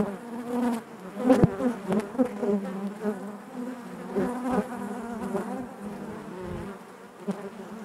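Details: Honey bees buzzing inside their hive: a dense, steady hum with a low fundamental and stacked harmonics, swelling and dipping in loudness, with brief louder buzzes as individual bees pass close.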